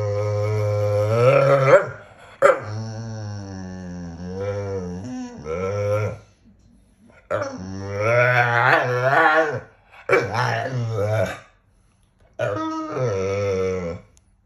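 A Staffordshire Bull Terrier gives drawn-out, throaty moans and whines that bend up and down in pitch, almost like talking. The bouts last a few seconds each, with short pauses between them.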